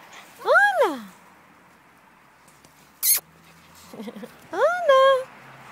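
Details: Cavalier King Charles Spaniel during a game of fetch with a ball: two arched, high whining yelps that rise and then fall, separated by a pause with one sharp click, and faint rustling in between.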